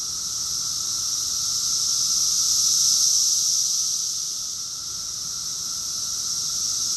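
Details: Summer chorus of many cicadas recorded in Rockville, Maryland, USA, in June 2021: a dense, unbroken high-pitched buzzing hiss that swells to a loud peak around the middle and then eases back slightly, with no other sounds.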